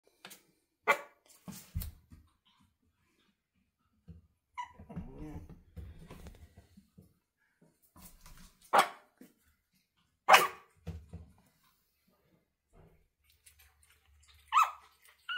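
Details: Pomeranian puppies almost eight weeks old learning to bark, giving scattered short, sharp yaps at irregular intervals, with quieter whimpering and scuffling sounds between them in a small indoor room.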